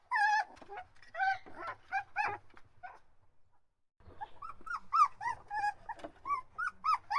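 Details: Puppies crying and whining: clustered high, arched whimpers with rich harmonics, a loud burst in the first two seconds, a pause near three to four seconds, then a steady run of rising-falling whines.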